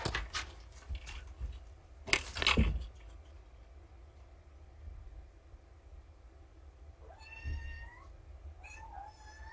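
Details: Four of five abandoned kittens, Vixen, Dancer, Cupid, Donner and Prancer, rescued by Purrfect Pals, calling loudly indoors in the morning before breakfast; knocks and thumps first, then several rising, harmonic-rich meows near the end.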